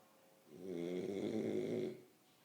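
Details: French Bulldog snoring in its sleep, one drawn-out rattling snore about a second and a half long, swelling and fading in a quiet room.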